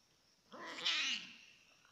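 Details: F1 leopard cat hybrid, indoors while playing with and drinking water, gives a single drawn-out meow lasting under a second, rising and then falling, with a nasal, harmonic tone over a quiet background.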